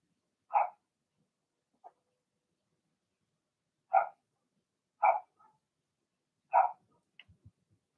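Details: Cavalier King Charles Spaniel puppies, a Blenheim litter in an indoor pen, give single sharp yapping barks at irregular intervals, with a faint short yip and soft low rustling near the end.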